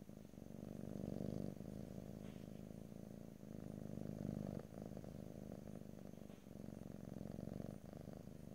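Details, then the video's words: Close-miked house cat purr in stereo, ear-to-ear ASMR style and no talking: a deep buzzing drone rising and falling in breath cycles, louder swells near one and four seconds, otherwise quiet background. "ASMR Cat: Purring"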